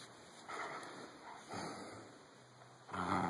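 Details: Jack Russell Terrier growling while playing tug of war, in low rough rumbling bursts, the loudest and harshest at the end.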